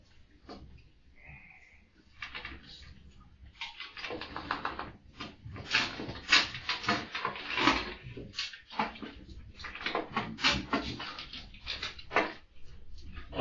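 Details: Samoyed dog named Russell waking his dad indoors in the morning: rough, breathy, noisy snorting and grumbling bursts begin sparse, then thicken after about four seconds into quick irregular runs, with a short high squeak near the start.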